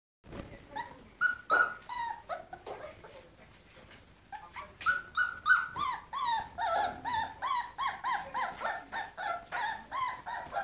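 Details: Weimaraner puppies during an escape attempt give high, tonal whimpers and yelps, short whining notes rising and falling in rapid, uneven series, growing steadier and more continuous in the second half, with a quiet pause near the middle.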